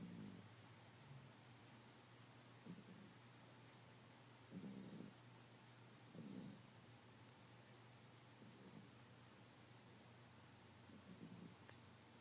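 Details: Mimi, a sleeping cat, snoring: soft low breathy pulses recurring every couple of seconds, each about half a second long, over a steady low hum, with a brief faint click near the end.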